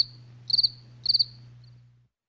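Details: A cricket at night gives two short high chirps, each a quick burst of four pulses, half a second apart, then falls silent; low background hum fades out.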